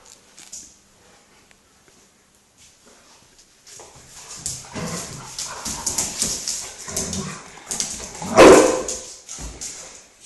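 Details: Two dogs, a Galgo and a Rhodesian Ridgeback, together; quiet at first, then busy scuffling and rustling noise with low grumbles, broken by one sharp, loud bark near the end.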